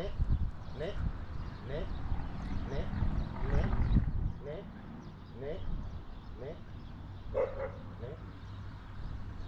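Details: Border Collie in a search-and-rescue training game with dice, cones and directions, giving short, sharp yelping barks about once a second. Each bark bends quickly in pitch. A person speaks Italian over it, with steady background noise.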